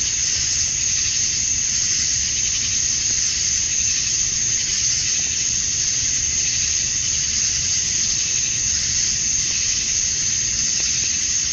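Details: Male cicadas chorusing at dusk on a summer night in Georgia, USA, calling to attract females; a dense, steady high-pitched hiss-like drone holds unbroken throughout, with no other clear sounds.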